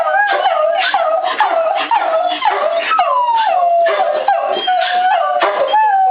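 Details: Jams the Beagle howls indoors in response to "I love you", joined by Annie the Coonhound and Jack the Shep mix: overlapping wavering, sliding howls with yips, rising and falling in pitch, continuous throughout with brief breaks.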